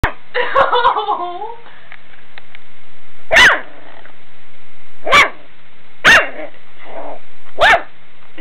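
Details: Beagle puppy giving a harmonic, falling whine at the start, then four short, sharp, high-pitched barks spaced one to two seconds apart, with a low steady hum underneath.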